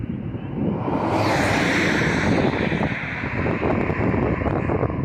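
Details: Strong wind buffets the microphone in a steady roar with no animal voice heard.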